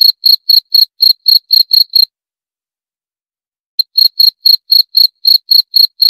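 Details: Cricket chirping steadily, high thin pulses about four per second, a pause of nearly two seconds midway before the regular chirps resume; no other sounds.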